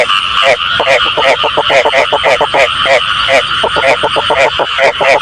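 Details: Frog calls offered as a sound for catching frogs: rapid, loud croaking notes repeated several times a second, overlapping like several callers, with a bright ringing overtone above each note.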